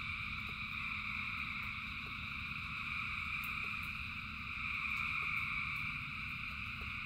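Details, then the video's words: Frogs calling in rain, thousands together, form a continuous shimmering high-pitched drone that swells slightly around the fifth second, while rain hisses and rumbles low beneath and scattered drops tick. "Frogs in Rain 2 Hours of Frogs, Thousands of Frogs Singing"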